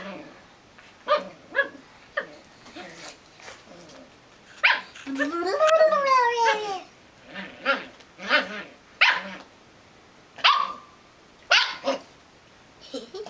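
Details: Belgian Malinois puppy barking in short spaced bursts, with a longer wavering whine or yelp sliding down in pitch midway; a human voice may be faintly present.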